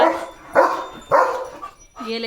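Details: Leo, a pet German Shepherd, barks as rain arrives, giving two loud, rough barks about half a second apart, with a person talking before, between and after them.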